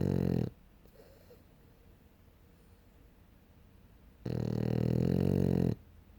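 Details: Snoring French Bulldog, heard as the tail of one deep, buzzing snore, several seconds of near silence, then another low, rattling snore of about one and a half seconds.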